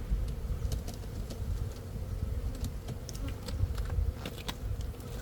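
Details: Honey bees droning in a steady low hum with a faint higher overtone, set against rumbling low noise and scattered sharp clicks.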